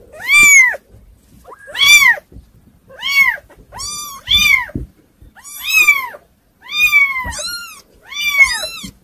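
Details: Kittens meowing indoors, a hard-to-control litter: loud, high arched meows repeated roughly every second, several voices overlapping with some calls crowding together near the end, with faint bumps and rustling between calls.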